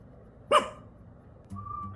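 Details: Rudy, a female Pomeranian around 8 years old, gives a single sharp, high bark, apparently to protect, frightening her housemate Pomeranian into hiding under a bed; a faint whistle-like tone follows.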